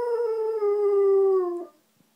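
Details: Alaskan Malamute male howling through an open window one morning, answering a neighbour's female dog that is whining; a single long, smooth, slightly falling tone with rich overtones holds steady for about 1.7 seconds, then breaks off into quiet.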